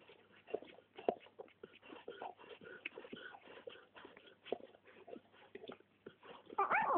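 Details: Labrador Retriever puppies of litter A born 20.08.2010 at a Polish kennel, giving short high whimpers and yips in quick irregular bursts, with a louder rising whine at the end.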